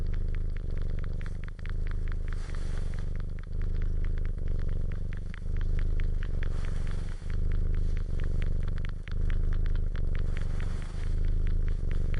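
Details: Loud close purring from a cat, a deep regular rumble rising and falling with each breath about every two seconds, accompanied by faint crackle and rattle.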